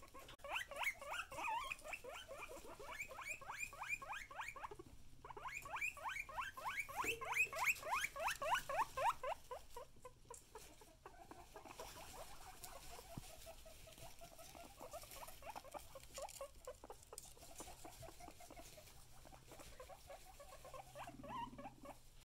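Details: Excited guinea pigs wheeking in long rapid series of repeated rising squeals, loud and dense for the first ten seconds, then softer, scattered calls with a faint hum underneath.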